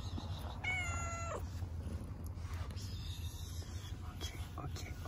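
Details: Thin ginger male cat, hungry and being fed: one clear, drawn-out meow lasting under a second, with a steady tone that drops sharply at the end. Soft human voice and a low background rumble.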